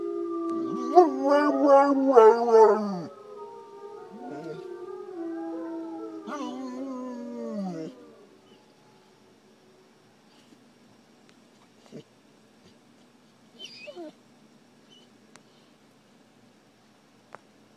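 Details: Dog of unknown ancestry, adopted from a shelter near NYC, reacts to recorded wolf howls. Loud warbling howls with stepped, yodelling pitch fill the first half and fade into silence broken by a few faint clicks.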